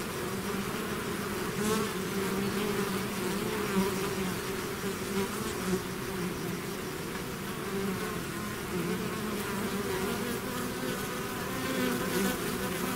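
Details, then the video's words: Mass of bees swarming out of the hive produces an unbroken, gently fluctuating drone of many wingbeats across thirteen seconds. "bees therapy swarm natural buzzing sound"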